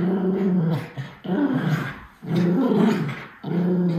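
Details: Miniature Schnauzer named Lucky playing indoors with his brother Levi, sounding mean while merely being vocal. Low, throaty growls come in three long rumbling bouts separated by brief pauses.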